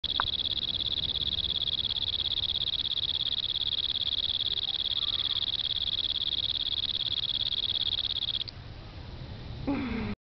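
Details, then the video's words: A cricket sings in Bukit Timah Nature Reserve, a steady, high, shrill trill that holds unbroken for about eight seconds. "Cricket Singing in Bukit Timah Nature Reserve"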